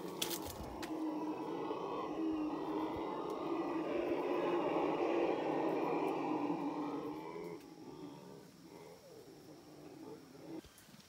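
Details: Howler monkeys met in the Paraguayan jungle give a long, rough roaring chorus that swells toward the middle, then fades after about eight seconds into quieter forest background.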